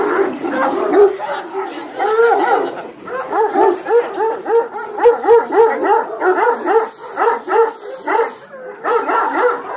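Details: Female Kangal from the Hanli bloodline, praised as a lioness, barking in a steady run of arched, harmonic barks about three per second, with brief pauses and a faint hiss in the upper range.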